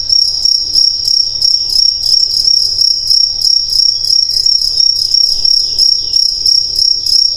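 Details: Crickets chirping steadily, a high, ringing trill pulsing about three times a second, with birds in the background.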